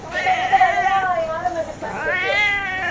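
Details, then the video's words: Cat screaming to beg for milk, its favourite treat, with a woman talking in Tamil around it: two drawn-out, loud, harmonic meows, the first long and wavering, the second rising then falling. "Cat Screams for Its Favorite Treat!"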